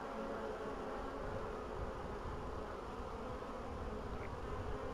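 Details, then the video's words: Bees on 14 April 2013, early spring after a long winter, with colonies out of winter in good shape and queens laying for a week; a steady low droning hum holds throughout, no breaks. "Pszczoły, 14 kwietnia 2013"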